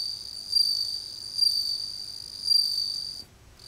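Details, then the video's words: Japanese bell cricket singing, recorded on a compact camera: a clear, high, ringing trill held steadily for about three seconds, swelling slightly in loudness three times, then stopping abruptly into near silence. "The voice of Japanese bell cricket"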